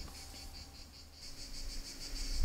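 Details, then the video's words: Cicadas singing at midday in the heat in the Sidobre: a steady high buzz pulsing about four times per second, with faint low rumble beneath. "C'est le midi. Hein. Et oui, on entend les cigales."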